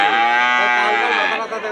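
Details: Dairy cow at a dairy farm selling 14-litre milking cows and pregnant cows: one loud, sustained, richly harmonic moo lasting nearly two seconds, steady in pitch and fading slightly at the end.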